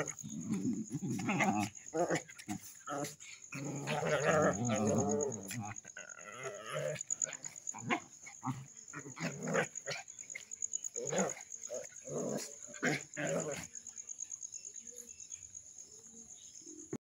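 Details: Village street dogs fighting: harsh, rasping snarls and growls fill the first six seconds, followed by scattered short barks and yelps. A steady high insect drone runs throughout, and human voices are faintly heard.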